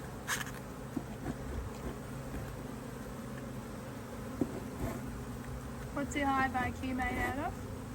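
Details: Honey bees humming around a Hive IQ beehive being opened to add a box, Australia, mid-Autumn 2023; a steady drone runs throughout, with a short spoken phrase from a person near the end and a few clicks.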